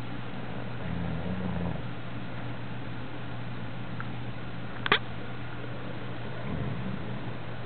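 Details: An English Bulldog, apparently dreaming, snores in slow, low, rumbling breaths with long quiet gaps between them.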